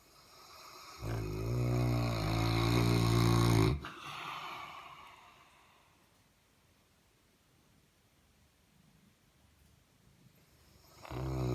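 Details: A male Saint Bernard, a gentle giant and massive snorer, snores with a deep, rumbling, harmonic rasp, then quieter breathing follows.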